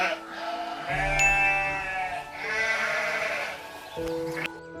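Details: Ibex giving wavering, nasal, goat-like bleats with rich harmonics, several drawn-out cries over about four seconds, mixed with background music.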